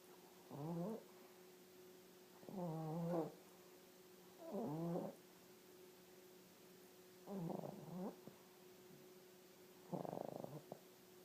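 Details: Sleeping dog snoring in rhythmic, rough, harmonic bursts, five snores in about eleven seconds, each swelling and fading, with a constant low hum underneath.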